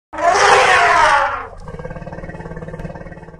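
An elephant gives a loud, harsh, brassy blast lasting over a second, then a low pulsing rumble.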